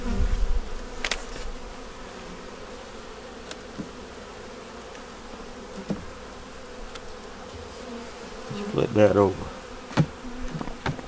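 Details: Honey bee nuc opened for a winter hive inspection, yellow queen with eggs and brood in the top, colony working to survive winter; steady low droning hum throughout, broken by sharp clicks and a louder buzzing burst near nine seconds.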